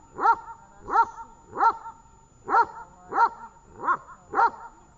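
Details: During training in Horlivka on 18 August 2019, Tash the dog barks seven times in five seconds, each bark a short, tonal yelp with strong harmonics, spaced slightly unevenly.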